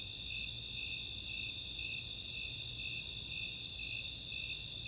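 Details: Snowy Tree Crickets and Four-spotted Tree Crickets chorusing on a summer night at Chautauqua, Boulder, Colorado; even high chirps roughly twice per second layered on a continuous shrill trill, plus fast ticking of Greater Angle-wing Katydids through the middle, soft low rumble beneath.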